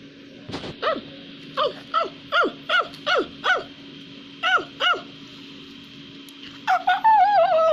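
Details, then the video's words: Shouting at the neighbours while climbing a tree in Madagascar, a ring-tailed lemur gives a run of sharp, downward-bending yelps, closely spaced then pausing, ending in a longer wavering, rising-and-falling wail; faint background hum. "Ring-Tailed Lemur is Walking and Climbing the Tree while Shouting the Neighbors in Madagascar"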